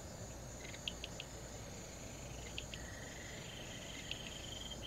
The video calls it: リュウキュウカジカガエル